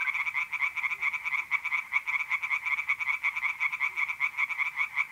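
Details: Tree frogs singing in a pond at night in mid-April, north-east Italy: a dense chorus of rapid, nasal pulsed croaks, about two to three per second, overlapping continuously with no pauses and no other clear sounds.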